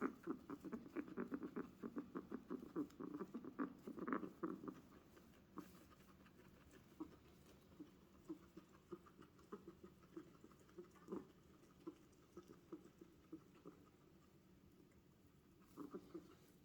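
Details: Strange guinea pig noises: rapid soft, low putting pulses, dense and louder for the first few seconds, then sparser and fainter with gaps, over quiet hiss.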